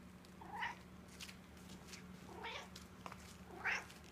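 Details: Jazzmine, a talkative pet Egyptian Mau, makes three short chirpy meows about a second apart in a quiet room, with faint rustling between calls.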